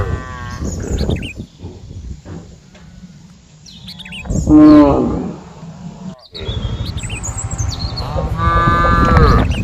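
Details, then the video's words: Cows mooing: a few harmonic, drawn-out moos with one loud, rising-then-falling call near the middle and another at the end, over a low rumbling background with small birds chirping high overhead. "Suara dan SAPI-SAPI yang lucu || funny sound of cows and cows"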